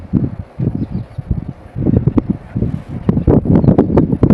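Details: Lioness against lioness in a deadly fight over food, Kruger National Park, South Africa, 2024. Choppy, guttural snarls come in quick bursts, building to sharper, louder growls in the last two seconds.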